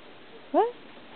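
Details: Domestic cat described as talking with its owner gives a single short, upward-bending meow in a quiet room.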